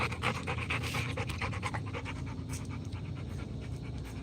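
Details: Rottweiler panting during a live stream: quick, breathy bursts, about two per second, steady and unbroken throughout, over a faint constant background hum.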